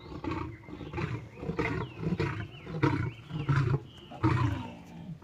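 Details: Snarling, gravelly roars from a lame lion battling a tiger until it submits, delivered in quick overlapping bursts, with bird calls sweeping up and down in the background.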